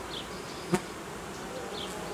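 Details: Honey bee colony that produced royal jelly and raised queen cells, opened for reorganisation after a sharp drop in temperature: a steady, dense humming buzz, broken once by a single sharp knock near the start.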